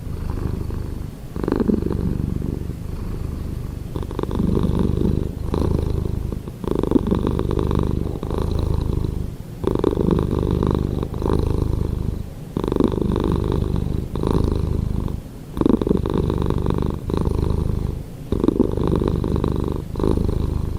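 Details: Pet cat purring at length indoors, a deep vibrating rumble rising and falling with each breath, in long stretches separated by short quiet gaps about every two to three seconds.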